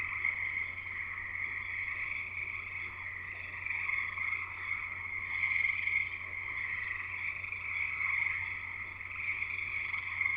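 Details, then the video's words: Steady frog chorus at a house in Escanaba, Upper Peninsula of Michigan: sustained overlapping high-pitched trills in stacked bands, gently pulsing in volume throughout, with a low electrical-sounding hum beneath. "Frogs Singing in the U.P."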